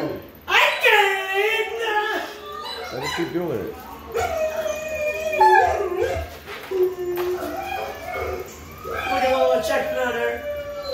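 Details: A dog kept in her kennel at feeding time howls in response to played howling test sounds; wavering, rising and falling harmonic howls come in several bouts, with softer overlapping voices between them.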